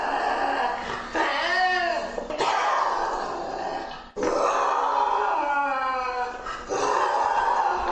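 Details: Lynx calling: drawn-out, harmonic, arching yowls mixed with rough, noisy growling. A brief break near two seconds and another near four, then more strained, wavering calls with no other sounds.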